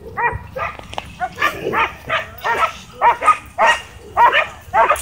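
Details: Excited dogs at a dog park barking while chasing a drone; hoarse, fairly rough barks repeated roughly every half second, growing louder toward the end.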